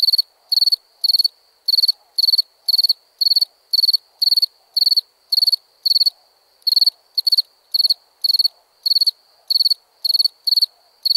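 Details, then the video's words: A nighttime cricket chirps rapidly, with high pulsed chirps coming nearly twice a second in uneven runs and short pauses, with only a faint murmur behind. "Relaxing Chirping Crickets"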